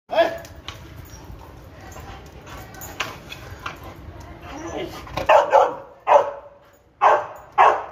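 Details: Samoyed dog barking: first a low mumble of human speech and household noise, then five loud, short, sharp barks in the last three seconds, each about half a second apart.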